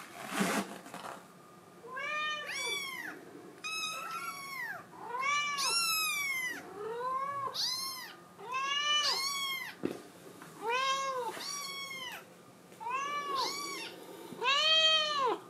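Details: A female blue tabby Scottish Fold kitten meows repeatedly, with high rising-falling cries pleading to be let outside.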